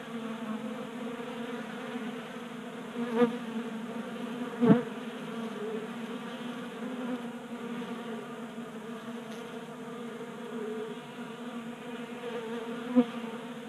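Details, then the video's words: Many honey bees feasting at a 3D-printed feeder on a garage workbench in Colorado, active in warm January weather; continuous low droning hum of wings, broken by a few sharp clicks or taps. "45 Minutes of Honey Bees Feasting from 3D Printed Bee Feeder"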